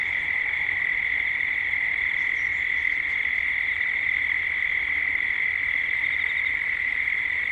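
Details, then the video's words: Gippsland cicadas in Australia at dusk, heard as 3D ambience: a dense, level, shrill drone that never breaks, with a single short high bird note just after two seconds against the steady buzz. "Cicadas at dusk"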